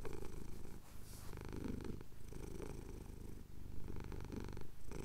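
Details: Male cat purring contentedly while his chin is scratched, Cotswold hills at sunrise, Tascam DR-07X recording; a thick vibrating drone with breath-paced surges and brief pauses.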